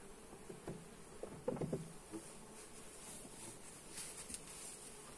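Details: Honey bees buzzing inside a hive as it is inspected, captured on a Xiaomi Redmi Note 8 phone; a soft continuous drone broken by louder bumps and knocks around the middle, then a few further swells of buzzing.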